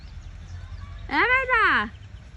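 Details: A cat climbing high up a tree gives a single drawn-out meow, rising then falling in pitch for under a second, over low steady background noise.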